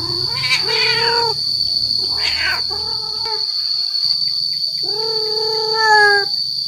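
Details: Male cat calling to attract females: several drawn-out, slightly wavering meows and a rougher burst, over a loud constant high-pitched whine and low background hum.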